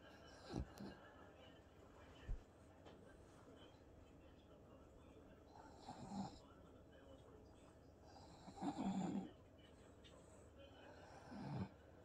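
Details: Bob, a French Bulldog, sits with his owner watching TV in a home office and talks with little snorts and grunts: three separate low, rough grunting bursts spaced a few seconds apart over a quiet indoor background.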